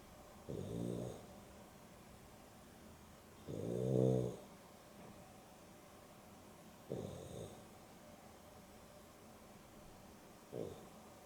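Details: Afternoon nap of Dexter and Rio, a Boston Terrier and a Beagle cross, with Dexter snoring: four deep, rattling snores roughly every three seconds, the second loudest and longest, with silence between.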